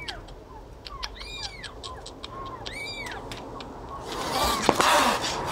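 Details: Cat and kitten at a feeding, with a few quick, high mews in pairs over low noise. A louder scraping, clattering sound ends the clip.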